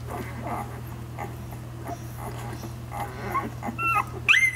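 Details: Week-old nursing pups of Savannah's litter make soft shuffling suckling noises, then a few short high whining squeaks build toward the end, over a constant low hum.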